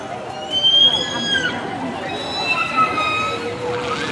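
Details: Killer whale calls heard during a SeaWorld killer whale show on 2 December 2015: high, drawn-out tonal squeals with stacked harmonics, gliding and wavering, over crowd murmur.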